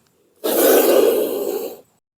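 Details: Fierce wild Indian spectacled cobra hissing at its handler just before being released in the forest; a single forceful, rasping exhalation about one and a half seconds long, sharp onset, fading slightly at the end, silence around it.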